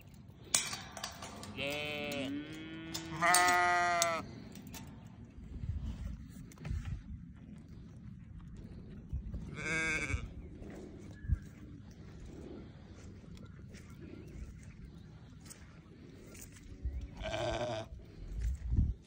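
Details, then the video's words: Newborn lambs bleat in loud, wavering, harmonic cries clustered at the start, then a lone shaky bleat midway and another near the end over a low rumbling background. "Newborn baby sheep so beautiful"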